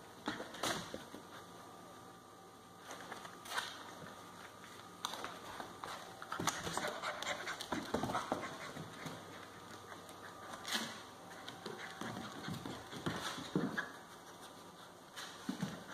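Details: Central Asian Shepherd puppies, two 5.5-week-old females of one litter; steady panting interrupted by scattered whimpers, sharp knocks and rustles, with faint speech in the background.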